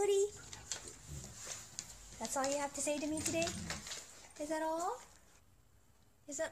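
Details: Dog named Cody greets a person returning home indoors, answering with two drawn-out, yodel-like moaning vocalizations, the second rising at its end; a person talks warmly to the dog before and between calls, with faint clatter.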